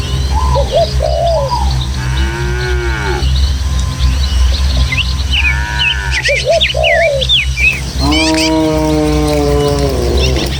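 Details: Dozens of tame village cows move in a herd over rural hills and paths toward the pen, with a gentle breeze: long, level mooing calls at about two and eight seconds, mixed with quick twittering birds and a low steady drone.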